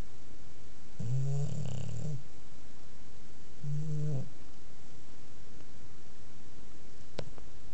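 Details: Sleeping bulldog snoring: a long, rumbling, buzzy snore followed a couple of seconds later by a shorter one, then quiet breathing hiss and a single sharp click.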